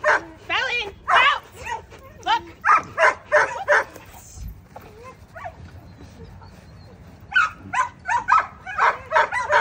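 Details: During two-man attack practice, a nine-month-old German Shepherd barks in quick volleys, breaks off for a few seconds, then resumes rapid barking.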